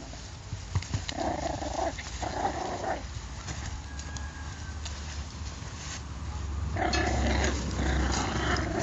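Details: Patterdale Terrier puppies growling: low, rough rumbling bursts from about one to three seconds, then a louder sustained growl over the last two seconds, with scuffling noise throughout.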